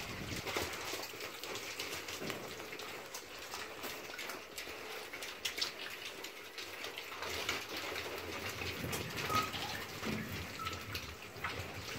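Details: Continuous crackling, rain-like broadband noise with soft rustles throughout.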